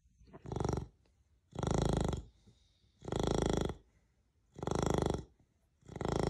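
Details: Rocket, a pet beagle in Australia, snoring very loudly while asleep: deep, rasping breaths in long broadband bursts about every one and a half seconds, with quiet gaps between them.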